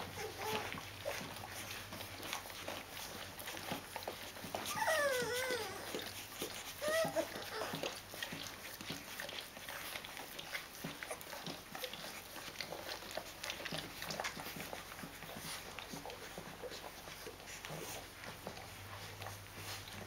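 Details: Fourteen-day-old Rhodesian Ridgeback puppies from a litter, resting with their mother; two short, wavering, high-pitched whimpers rise and fall mid-recording, set against steady soft rustling, squirming and clicking sounds indoors.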